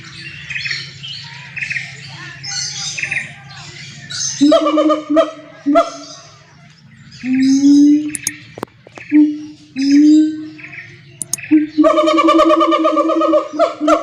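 A siamang gives loud, harmonic barking whoops in short bursts, ending in a sustained ringing cry.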